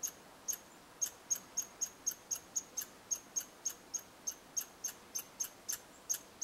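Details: Red squirrels at a bird hide in Eastern Canada, interacting: a steady, rapid train of piercing high chips, roughly four per second, about two dozen in all, with light background hiss.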